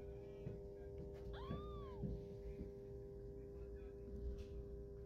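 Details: Domestic cat with newborn kittens, the mother sitting and licking her sleeping babies; a single arched, rising-then-falling meow lasting about half a second, over a steady low hum and faint background voices.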